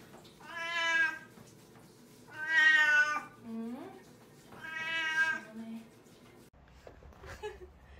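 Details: Eight-year-old pet cat named Gamja meowing around a bath at home: three loud, drawn-out harmonic meows about two seconds apart, each rising then falling, with a short lower squeak between them and faint rustling after.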